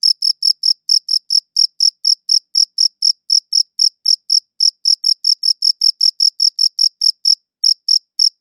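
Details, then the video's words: Crickets chirping in a clean recording: rapid, bright, shrill chirps in a near-continuous rhythm, about four or five per second, with one short pause near the end and a quiet high overtone. "Cricket Chirping Sounds"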